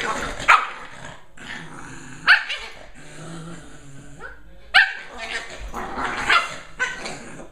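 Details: Two Lhasa Apso puppies playing together. A rough, buzzy growling runs throughout, broken by sharp barks at roughly two-second intervals and a faint voice in the background.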